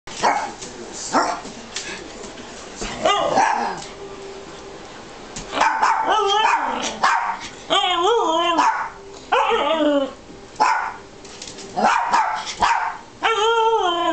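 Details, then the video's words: Zoey, a three-and-a-half-month-old Alaskan husky puppy, talks back at Matty, a two-year-old morkie whose loud bark she dislikes. Sharp barks come first, then wavering, rising-and-falling whine-howls, while a person coaxes her to talk. "alaskan husky talking"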